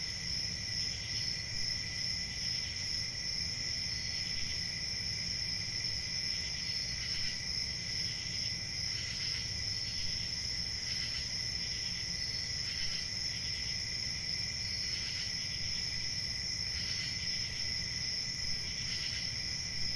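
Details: Night-time crickets keep up a continuous shrill trilling, layered with soft recurring chirp bursts roughly every two seconds, above a low steady rumble.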